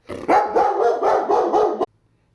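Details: German Shepherd reacting to the mailman and delivery drivers, barking in a quick continuous volley of about six loud barks that stops abruptly, followed by a low hum.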